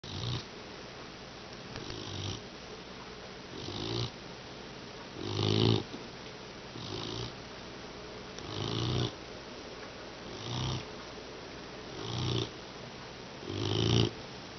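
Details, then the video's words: English Mastiff puppy asleep and snoring, worn out after training indoors; soft rasping low snores about every one and a half to two seconds, some louder than others, over a steady faint background hiss. "Funny Snoring Mastiff Puppy"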